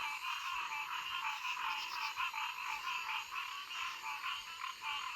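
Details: Frogs hollering together at a pond at their usual time of day: a dense, unbroken wash of rapid trilled croaks with uneven pulsing swells, many callers overlapping, and a faint high hiss above.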